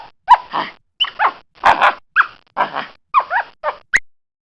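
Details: Capuchin monkey giving a series of about eight short, squeaky calls over four seconds, each with quick rising and falling tones, separated by brief silences, ending in a sharp high squeak.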